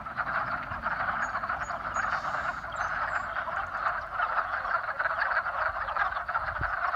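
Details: A chorus of frogs calling to mate in spring, countless overlapping raspy croaks merging into one constant pulsing drone, a thin high whistle briefly early on and a low thump near the end.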